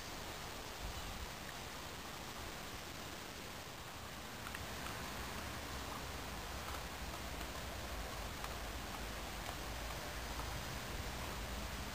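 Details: Only a steady, quiet broadband hiss with faint rustling is heard, with no animal call.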